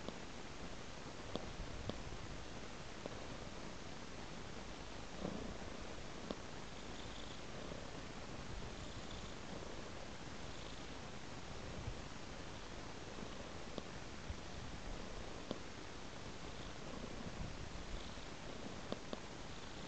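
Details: A cat dozing on the floor purrs without a break, a deep even rumble rising and falling gently with its breathing, with a few faint clicks.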